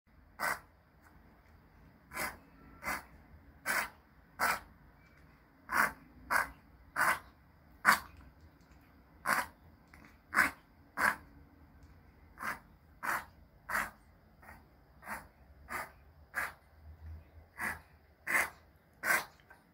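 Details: Choco, a male Pomeranian born 13 May 2020, unwell for two months, gives a long run of short, breathy snorting bursts, about one every second, with steady even pauses and a quiet background.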